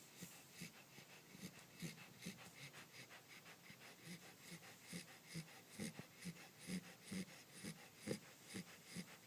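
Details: Clementine, a Pembroke Welsh Corgi puppy, snores while asleep: soft, rapid, wheezy breaths with low nasal pulses, roughly two per second, in a quiet room.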